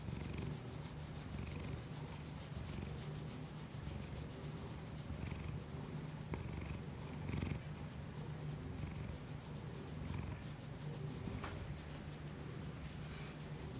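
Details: Kiku-chan, a pet cat, purring close to a Shure MV88 microphone on an iPhone: a steady low rumbling drone with soft swells of breathy rasp about every second, and a sharp click around the six-second mark.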